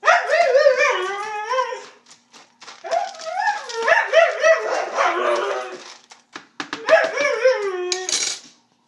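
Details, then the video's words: Siberian husky named Ruby vocalizing over her dinner being prepared, a run of expressive yowling, grumbling talk with bending, wavering pitch, nearly continuous for eight seconds with short breaks, ending in a rough burst. "Ruby Siberian Husky Dog Talking"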